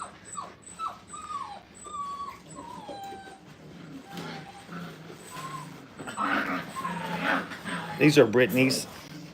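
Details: Five-week-old Brittany puppies on their first time in a playpen: thin, high whines that slide downward, repeated in quick succession, followed by human speech and louder puppy yelps toward the end.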